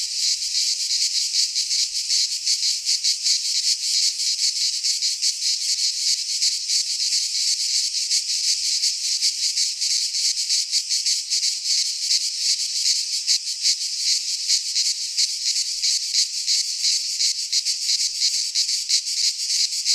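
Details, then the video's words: Midsummer cicada chorus in a Greek pine forest, a continuous high metallic buzz flickering with quick regular pulses, unbroken from start to end and free of other noises. "Cicadas singing in midsummer"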